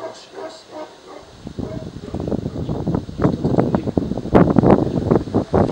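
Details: Tibetan Mastiff at the Nasledie Tibeta kennel in Russia, tested for working qualities against unfamiliar strangers without protection training. After a quiet first second, deep, rough barks come in rapid, uneven bursts that grow louder toward the end.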